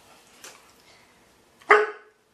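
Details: A female long-haired German Shepherd gives a single sharp, harsh bark on command when a treat is held above her head, during speak training.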